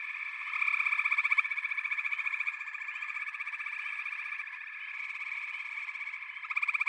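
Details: Backwater frog chorus: dense, overlapping pulsed trills forming a steady high buzzing band, with louder rapid rattling bursts near the start and end.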